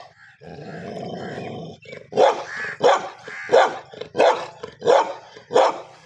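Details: Pet dogs fighting each other. A rasping snarl lasts about a second and a half, then six loud, sharp barks follow at an even pace, roughly one every 0.7 seconds.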